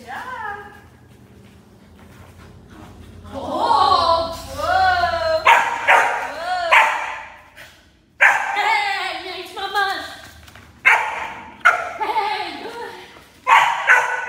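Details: Enya, a German Shepherd puppy, in a protection training session introducing barking: high, yappy barks with rising-falling pitch come in short bursts several times, mixed with a person talking close by.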